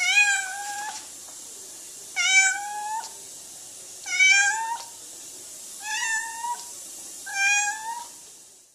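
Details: A noisy blue point Siamese cat gives loud, drawn-out meows, each rising slightly and repeated about every two seconds.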